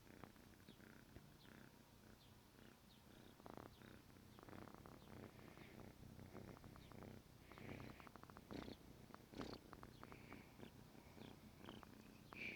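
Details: Morning purring of Negi, a 14-week-old pet kitten waking its owner; steady low rumble with rhythmic pulses throughout, plus soft rustling and small clicks close to the microphone.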